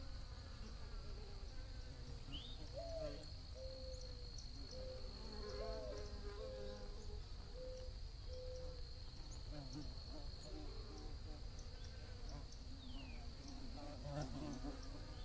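A thick, low drone of many bees buzzing runs through the whole recording. A thin, steady high-pitched insect whine sits above it, and a few short whistled notes rise and fall briefly early on.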